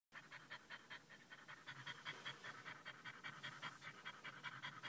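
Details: A male French Bulldog panting after a short car drive to a pet store, excited by people's attention; fast, breathy, steady panting at about two and a half breaths per second, continuing throughout with no other clear sounds.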